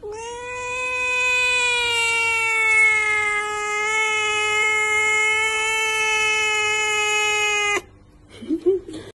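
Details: Kitten giving one long, steady, drawn-out meow lasting about eight seconds, rich in harmonics, then cutting off abruptly, followed by a brief softer wavering squeak near the end.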